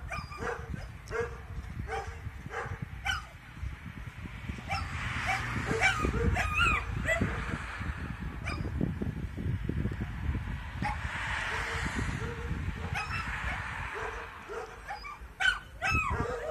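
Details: Puppy Shira howling at New Year: wavering, rising and falling drawn-out howls broken by short yips and whimpers, over a low rumbling background and faint voices.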